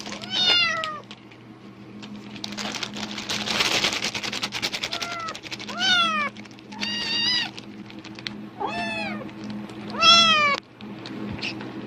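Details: Excited cat calling in response to a rustling plastic bag, believing there is food: a burst of loud bag crinkling, then a series of five or six clear, harmonically rich meows, some rising and some falling, at uneven intervals.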